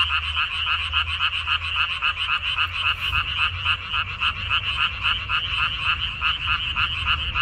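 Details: In Korea on 14 May 2021, frogs in a minari (water dropwort) field croak in a dense chorus of rapid, high, rasping croaks, several per second, forming a continuous pulsing trill over a low background hum.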